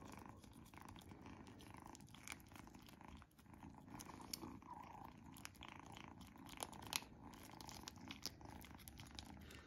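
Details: Kitten Izzy enjoys her first-ever treat: a continuous low purr runs underneath a busy layer of wet chewing and small bite clicks, with a brief quieter dip near three seconds.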